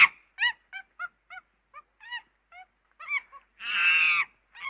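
A monkey gives a run of short, clear, arching calls, then one long harsh scream.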